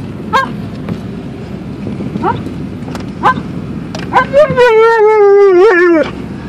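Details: Alaskan Malamute riding in a car on the way to the dog park: a few short, sharp yips, then a long, wavering, mid-pitched howl that slowly falls in pitch over almost two seconds, with low car rumble beneath.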